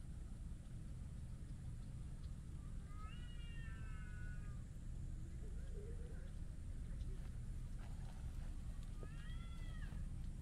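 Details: Chatty tuxedo (hachiware) stray cat rubbing affectionately against a person outdoors, giving two drawn-out meows, the first long and level, the second rising then falling near the end, over constant low rumble with faint soft sounds between.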